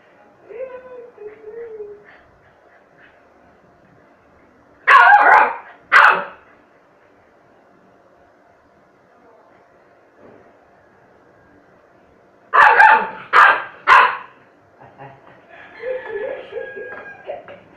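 A Chow Chow puppy gives sharp, high barks in bursts between soft whines, calling out from hunger.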